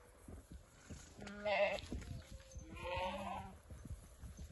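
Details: Boer goat ram offered as a sale lot bleats twice, each a wavering, nasal cry of about half a second, amid shuffling, knocking and background hum.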